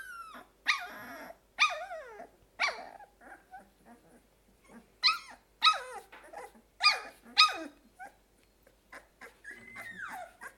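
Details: Two-week-old Golden Retriever puppies from a litter, eyes newly opened and responding to voices, crying: a string of high, downward-sliding whimpering yelps about one per second, with short quiet gaps and a steadier whine near the end.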